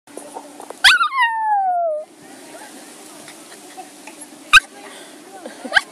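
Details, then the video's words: Bailey, a pet Maltese dog with separation anxiety, gives one sharp yelp then a long falling howl of about a second, followed by quieter short yips later amid a low steady hum. "Cute maltese howling"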